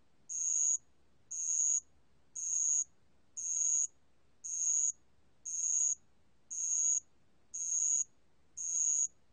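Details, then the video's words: Bell cricket, recorded by the National Institute of Biological Resources in 2020, sings short, piercing high trills that last about half a second each. The trills return at an even pace of nearly one per second, over near silence. "알락방울벌레, 여러번 듣기, 곤충소리"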